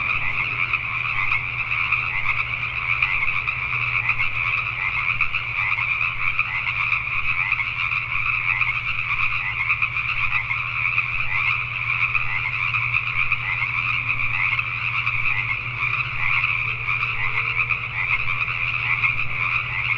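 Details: Pacific tree frogs calling at night in Richmond, British Columbia, Canada: a dense, unbroken chorus of overlapping croaks with two bright pitch bands, steady throughout, over a low constant hum.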